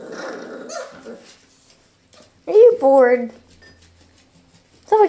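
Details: Three male Irish Jack Russell Terrier puppies at play: a person talks at first, then high, wavering whines and yelps, with some growling, rise and fall in two loud bursts, and a last short yelp comes at the end.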